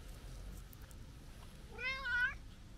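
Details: Talkative brown tabby-and-white stray cat, visited for a New Year greeting, chatting affectionately during a walk: one wavering, drawn-out meow rising then falling, about half a second long, over quiet low background rumble.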